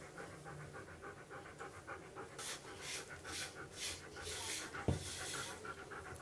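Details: A pet husky pants steadily while being groomed for heavy shedding, quick breathy huffs repeating about twice a second, growing louder midway, with a sharp knock and a woman talking nearby.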